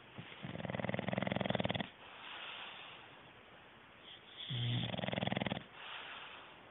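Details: A male English Bulldog in deep sleep snores loudly, each inhaled breath a long, rough, buzzy, rapidly fluttering rattle lasting over a second. Quieter, breathy exhales fill the gaps, and the snores come about every four seconds.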